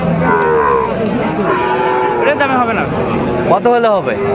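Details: Sahiwal breed bull calves at the start of trading at Aftabganj cattle market, Dinajpur, Bangladesh, 2 September 2025; a clear lowing moo opens, then a sharp rising bellow near the end, with people talking and bargaining nearby.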